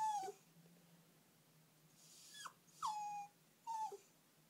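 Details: Puppy left sad after its owners went out to the shops, giving a few short, falling whines that drop in pitch and are spaced about a second apart, over a steady low household hum.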